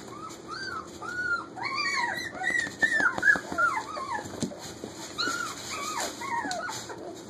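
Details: Lena's puppies, almost four weeks old, playing in a kitchen: a busy chorus of high, arching whimpers and short yips from several pups, overlapping and repeating almost three times a second over a steady indoor hum.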